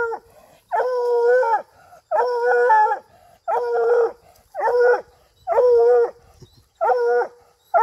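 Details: Coonhound being trained to hunt raccoons, bawling over and over: six drawn-out, rich harmonic howls, each about a second long, with short gaps of silence between them, at an uneven pace of roughly one every 1.4 seconds.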